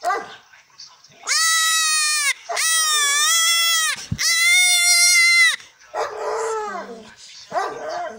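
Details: Three-week-old male goat kid during castration on a farm, letting out three loud, long, strained bleats, each about a second long, then fainter broken cries.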